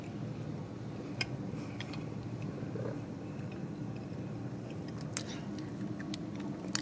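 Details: Indoor hum with scattered sharp clicks and soft crunching, chewing-like noises, and no animal call.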